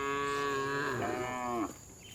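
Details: A tame farm cow being herded back to the barn in the afternoon in a village gives a long, harmonic-rich moo that wavers and then drops off.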